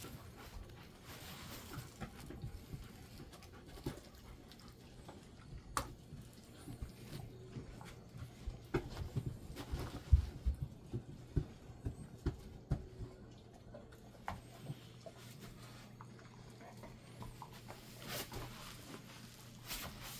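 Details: Golden Retriever resting in a cool air-conditioned room set to 20–22 degrees, at about 400 metres elevation, panting softly; steady low breathy rhythm with a constant room hum and occasional small clicks and knocks.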